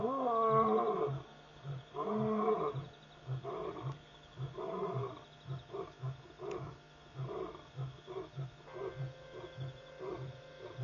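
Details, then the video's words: Lions calling repeatedly after midnight at Pete's Pond, a waterhole in Mashatu Game Reserve, Botswana, on August 5, 2014, captured by a live feed. Two long, deep moaning roars open a series of shorter, fading grunts, about one each second. "Lion Calling...and Calling"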